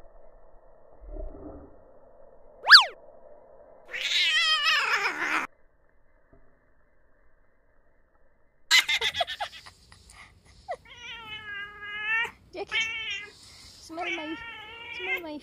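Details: A neighbour's domestic cat indoors, reacting to a person's foot, gives several harmonic, wavering meows in the second half, each about a second long. Before them come a sharp high chirp and a burst of broadband rustling.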